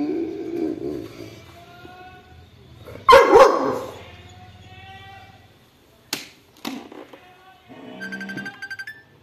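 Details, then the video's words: A Labrador Retriever puppy and an aggressive Rottweiler arguing over food: a low rumbling growl at the start, a sudden loud snarling burst around three seconds, then sharp snaps and a higher whining growl at the end. "Labrador Retriever Puppy & Aggressive Rottweiler Arguing For Food"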